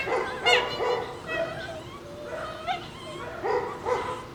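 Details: Two Shiba Inu puppies squabbling playfully over a bone, giving short fox-like yelps and whines about every half second, fairly soft and tonal, with a steady hiss underneath.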